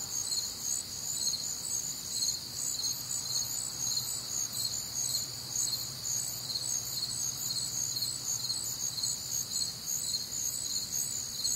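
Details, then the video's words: Crickets calling through a warm, humid summer night in the Midwest, many overlapping high shrill chirps pulsing about twice a second above a steady insect hum, nothing else prominent. "Night Time Cricket Sounds"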